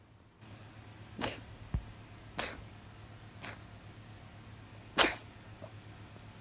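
A Persian cat sneezes four times in quick succession, each a sharp, breathy burst, the last the loudest.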